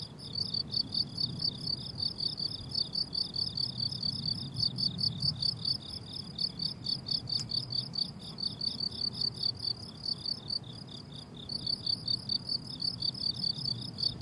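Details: Summer meadow crickets in bloom, several insects trilling together in rapid high pulses that run almost unbroken, with a brief dip near the end; gentle low background hum underneath.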